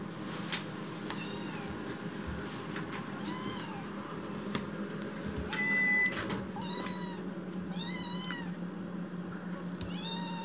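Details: Loud crying from Chitchi, a rescued foster kitten, after waking from a nap: short arched meows in bursts, several stacked close together near the end, over a constant low room hum and occasional knocks.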